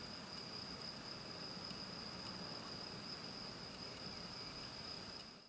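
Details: On a spring day, a grasshopper sings a steady, high, unbroken trill over a low rushing background.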